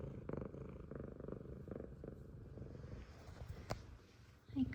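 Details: An F2 Savannah cat, a male, purrs in a low, rapid, pulsing rumble while happy to see his owner, with a woman speaking softly nearby and a faint cry at the very end.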